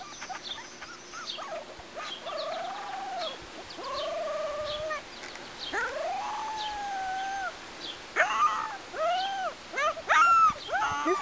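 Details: Two-week-old AKC Golden Retriever puppies at play outdoors on a sunny summer day at Windy Knoll Farm, just gaining steadiness on their legs. Thin, drawn-out whimpers arch up and down, then a burst of shorter, sharper yelps toward the end.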